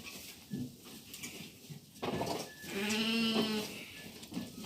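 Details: A lamb at evening feeding time, while the flock goes from suckling to eating feed, gives one clear, drawn-out wavering bleat midway through, after clattering and rustling noises in the pen.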